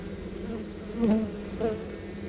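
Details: Buzzing of a honey bee swarm during relocation, a rich humming tone with stacked overtones that swells louder near one second and again briefly before the end.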